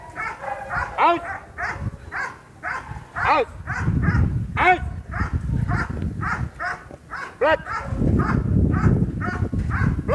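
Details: Fierce sport dog at Vom Almere Dog Training Centre in Indonesia, barking in loud, sharp bursts with rising and falling arcs, several close together, while people talk over and between the barks.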